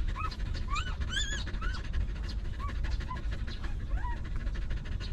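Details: From a stray dog with her young puppies, provided food and shelter: several quick, squeaky upslurred whines with bright overtones, one pitched higher, then softer falling whimpers spaced about a second apart, with low background rumble throughout.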